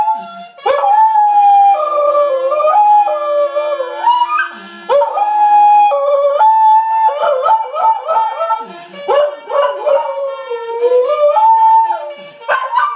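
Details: Australian Kelpie howling with the Last Post bugle call. Continuous wavering, sliding howls follow and bend around the held brass notes, with brief yelping breaks between phrases.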